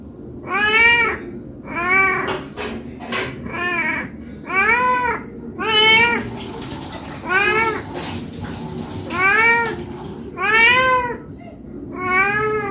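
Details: Hungry cat meowing to ask for food, giving about ten loud, drawn-out meows roughly a second apart, each rising then falling with bright harmonics, over a low background hum.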